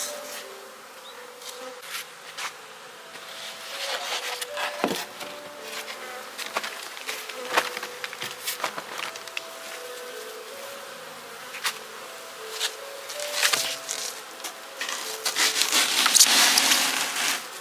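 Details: Honey bee colony being packed for winter after frames were reduced and feeders swapped. A continuous buzzing hum with wavering tones underneath, interrupted by frequent wooden taps and knocks from work on the hive, louder toward the end.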